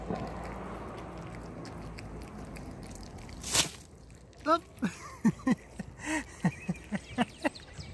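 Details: Hungry kittens eating raw fish. After a quiet stretch and a brief loud burst of noise, short, clipped meows come in a quick series of roughly a dozen calls, each a brief pitched cry, repeated about every half second.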